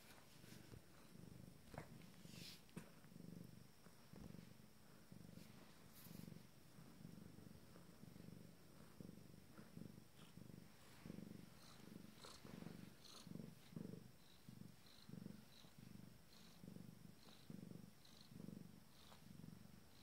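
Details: Abyssinian cat named Wind Song, minutes before giving birth to her first litter, purring in a low, steady rhythmic throb of pulses roughly every second, quiet and close, with faint clicks and background hiss.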